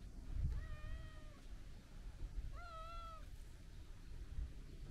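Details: Long-haired brown tabby-and-white cat lounging at the seaside, petted and talkative; two clear meows about two seconds apart, the second rising then falling, against a low background rumble of waves.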